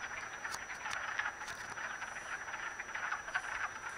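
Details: Chorus of wood frogs mating in a vernal pool at Acton, Massachusetts, March 18, 2010; many animals give rapid, overlapping quacking croaks in a steady, busy clatter with occasional louder clicks.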